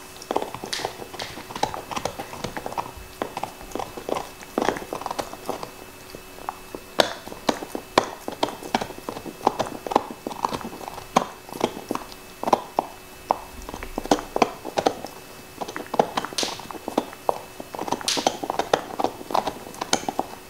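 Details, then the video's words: A black Lab named Nixon chews steadily on a beef bone, producing a continuous run of crisp cracking and crunching bursts, some closely clustered, over a quiet background without speech. "Dog Eating Bone ASMR"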